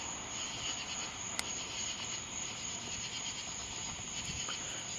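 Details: A katydid's steady, high-pitched buzzing drone runs unbroken at night in a yard, with a nearby tree cricket, suspected black-horned, also calling.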